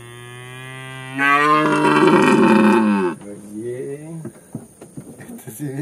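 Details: Elk (Cervus canadensis), bugle.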